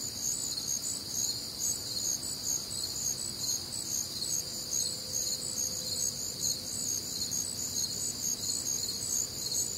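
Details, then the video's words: On a warm, humid summer night in the Midwest, many crickets trill together in high, shimmering bands, their chirps throbbing in a quick, even rhythm, over a faint low rumble and a brief thin tone. "Night Time Cricket Sounds"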